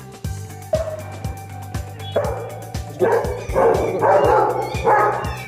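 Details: A Rottweiler playing with a balloon barks at it in a run of deep, gruff barks over loud background music.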